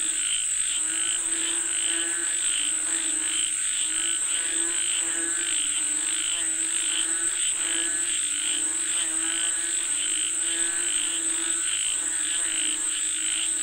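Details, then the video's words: Rain-calling frogs form a thick, busy chorus of rapid raspy croaks, bursts tumbling over one another without pause, against a steady piercing high buzz. "Listen to the Sound of Frogs Calling For Rain 🌧️🐸 เสียงกบเรียกฝนตก"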